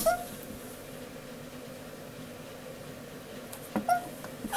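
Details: Newly brought home male Japanese stream toad, kept indoors, crying like a whimpering puppy: two short tonal chirps, one right at the start and one near the end, with a quiet room in between.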